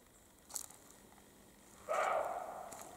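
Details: European roe deer, male and female, in the Carpathian mountains in spring mating season; after a brief crackle of rustling, a single loud, hoarse bark that fades slowly.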